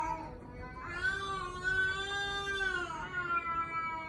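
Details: Domestic cat whose cry is likened to a human baby's voice: after a quiet start, one long, drawn-out, wavering meow holds steady for about two seconds, then fades with a softer falling tail.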